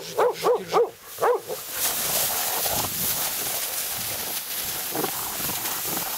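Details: Hunting Laika at a night badger hunt barks four quick, ringing times, then steady hiss and rustling noise dominate with only faint distant barks.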